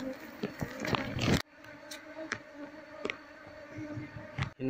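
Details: Honey bee colony disturbed while its combs are taken out of a speaker cabinet for transfer to a hive box. Loud scraping and handling noise at first, then a steady droning buzz with scattered knocks.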